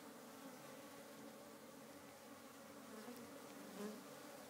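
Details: African honey bees in a very busy hive full of life: a dense, continuous droning hum with steady low tonal bands, and a few brief louder buzzes as single bees pass close.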